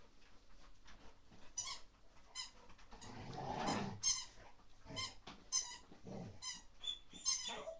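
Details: Baby Rottweiler named Lea, indoors during a wild play burst. She gives high, squeaky yelps and whines in short bursts, about one every second. A low, rough growly rumble swells in the middle, with scuffling between the calls.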